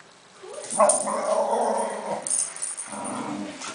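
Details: A Cairn Terrier, excited by a balloon, gives two rough, drawn-out growling barks, the first lasting over a second.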